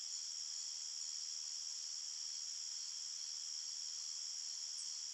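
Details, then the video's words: Crickets chirp through the night in a forest, a constant high shimmering chorus of rapid pulses that holds an unchanging level throughout. "Crickets Chirping Sounds"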